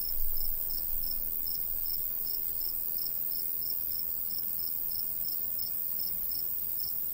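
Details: Summer countryside crickets by a golden wheat field: evenly spaced high chirps in a steady train, with a gentle breeze murmuring low beneath.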